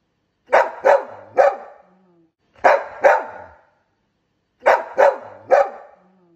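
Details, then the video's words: A young adult Golden Retriever gives loud, deep barks in quick bursts of two or three. "Adult Golden Retriever Barking sound"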